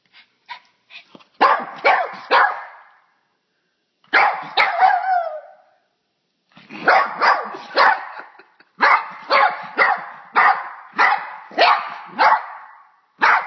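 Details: A dog afraid of a bug barks in sharp broadband bursts, first scattered then in rapid volleys of two to four barks separated by short pauses, indoors with no other sounds.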